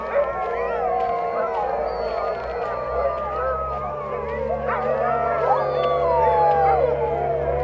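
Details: Sled dogs in Ilulissat, Greenland, singing together: many overlapping wavering howls rising and falling at once, forming a continuous chorus with a steady low hum beneath.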